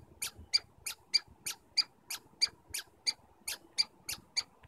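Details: Squirrels communicating in Stanley Park, giving a steady series of short, sharp, high squeaks about one and a half per second, each crisp and evenly spaced against a quiet background.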